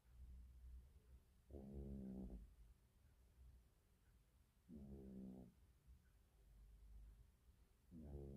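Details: Domestic cat snoring while asleep: a low, rasping, buzzy snore lasting under a second, repeating steadily about every three seconds with quiet pauses between breaths.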